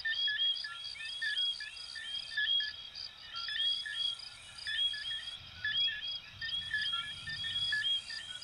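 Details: Coquí frogs from Venezuela and Puerto Rico calling in a night chorus, many overlapping short whistled notes that sweep upward, repeated again and again, with a faint hiss of background noise.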